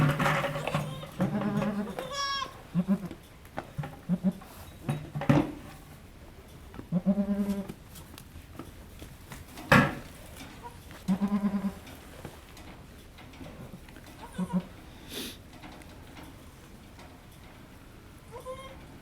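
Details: Halley Berry, a goat birthing triplets at Needham Goat Farm, as the second kid arrives: a run of short, low, quavering bleats at irregular intervals, mixed with loud knocks and rustling.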